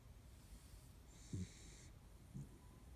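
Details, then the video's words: Sleeping Kaninchen dachshund dozing by a window: a single breath with a breathy hiss and a short low snorting snore, then a fainter second snort, against quiet room tone. "カニンヘンダックスフンド いびき"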